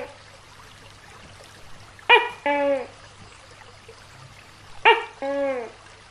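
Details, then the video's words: Big tokay gecko giving two loud double-syllable calls about three seconds apart, each a bright clipped note followed by a longer falling, harmonic-rich note, with a faint low hum underneath. "Suara Tokek Raksasa | Big Gecko Sound"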